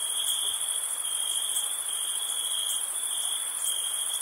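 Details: Summer-night crickets around a campsite form a dense, continuous high-pitched ringing, layered with a fainter, sizzling upper chorus that brightens in brief pulses every second or so. No other sounds.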